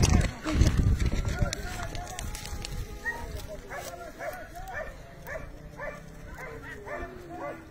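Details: Hunting dogs chasing a hare: a loud low thumping burst opens, then a run of quick, evenly spaced yelps about twice a second from the pursuing pack, fading slightly as they continue.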